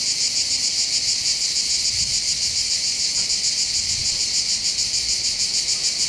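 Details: Summer cicada chorus on the hillsides above the port of Bandol, Var, southern France: constant high sizzling buzz pulsing rapidly, with a few faint low thumps in the background.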